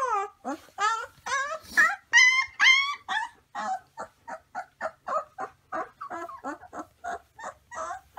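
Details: Wolf pups yipping: quick high squeaky whines and yelps repeated about twice a second, rising and falling in pitch, the first few louder and longer than the rest.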